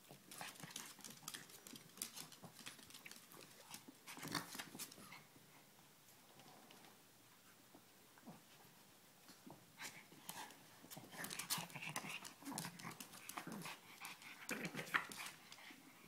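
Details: Two puppies, Ella and Duke, playing together: quick breathy panting and scuffling bursts come in uneven clusters, with quieter gaps between them.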